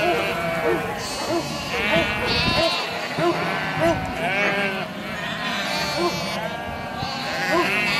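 Several sheep bleat in overlapping, quavering calls, with what may be human voices behind them.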